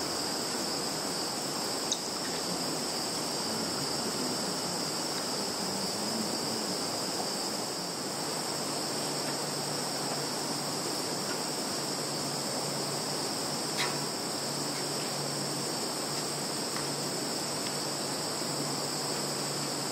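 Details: Insects in a field, Zhukovsky district, Kaluga region, Russia, 11 September 2019, phone recording; an unbroken high-pitched shrill hum in two bands, a faint low drone, and a couple of sharp clicks.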